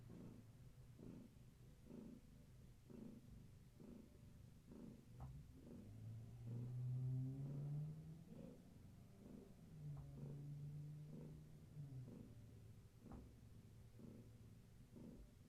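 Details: Kittens of Gaia, a long-haired tabby, indoors in the evening during play and leg massages: low, rumbling purr in steady pulsed waves about every half second, with a brief rising hum midway and faint room noise.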